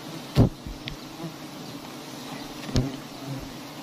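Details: Steady low buzz of many honeybees at huge nests suspended in a palm-garden tree while honey is taken. Two loud knocks stand out against the hum.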